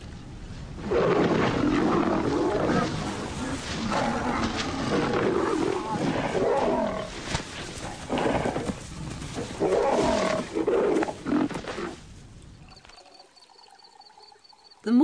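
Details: Wild lion pride, whose hunting includes buffalo, heard in a burst of harsh, throaty snarls and growls over about twelve seconds in uneven rasping bouts, fading into near quiet with faint high tones at the end.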